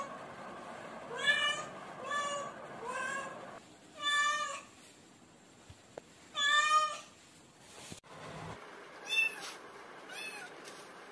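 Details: Cat meows repeated roughly every one to two seconds, each a loud, bright, harmonic cry, some drawn out and wavering. Short clicks and knocks come from indoor handling noises in between.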